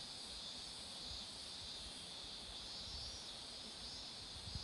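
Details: Cicadas singing beside a road lined with blooming marigolds: a steady, unbroken high hiss-like buzz holding level throughout, with faint low rumbling underneath.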